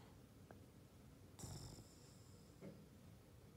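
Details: Snoring Boston Terrier, Ollie: a low rasping snore with a hissing breathy edge, then a softer second snort a second later, in a still indoor room.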